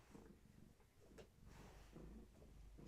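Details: Gaia, a long-haired tabby pregnant with many kittens, rests indoors while her kittens move actively inside her. She gives a soft, low, steadily pulsing purr with a few faint taps and brief rustles.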